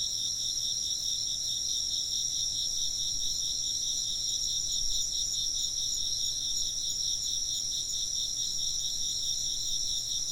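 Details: Insects chirp in a continuous high pulsing chorus, the trills rolling on evenly throughout with only faint low background hum.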